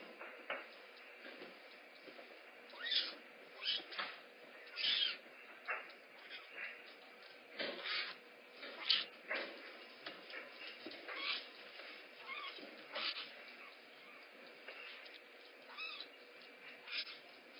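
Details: Rehab kittens at a big cat rescue wanting breakfast first, giving scattered high, brief chirping cries at irregular intervals against a steady low background hum.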